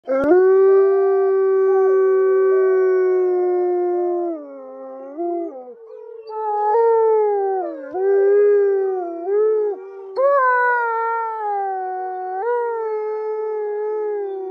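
A wolf gives long, sustained howls that slide down and rise again in pitch.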